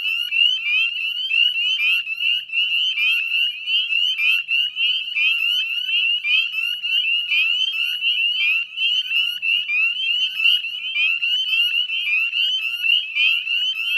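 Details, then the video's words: Northern spring peepers chorusing at dusk on 18 May 2020 beside a salt marsh in West Chezzetcook, Nova Scotia, Canada: a dense, continuous wall of high, rising whistled peeps from many frogs, overlapping without pause. "Northern Spring Peeper Chorus"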